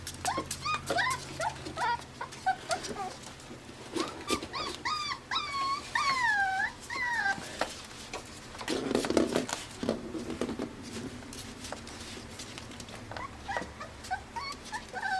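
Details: Litter of Pembroke Welsh Corgi puppies born June 20, 2026, in Arkansas, crying in bursts: wavering high whines bending up and down, clustered early and in the middle, then quieter with scratching, a soft low grumble and hum.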